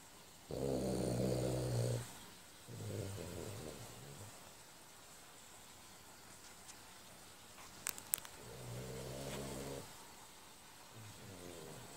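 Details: Sleeping soundly, a French Bulldog snores in a small room: rough, low rumbling breaths come in bouts, a long loud snore, a shorter one, then a quiet gap with faint clicks before two more snores.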